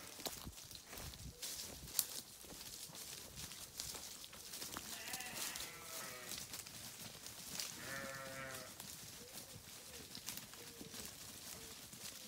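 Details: Sheep giving a pair of quavering, harmonic bleats in the middle of the recording, with short softer calls afterward, set against constant hissy background noise and knocking sounds.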